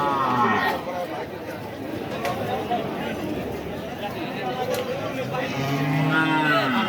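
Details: Cattle at the Boaliya cattle market in Ullapara, Sirajganj, held after Eid; drawn-out, low, wavering moos rise near the end over a dense crowd murmur and people talking.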